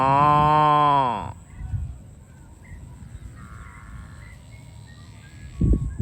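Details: Farm cow being herded to the barn gives one loud, drawn-out moo lasting over a second that drops at the end, followed by quiet farmyard noise, a faint high whine and a short sound near the close.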